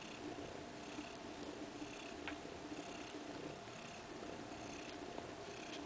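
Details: Soft, even purring from Kaewe, a mother cat, and her two-week-old kittens, settled in a living-room kindergarten area indoors; the rumble holds steady through the short stretch with light background hiss.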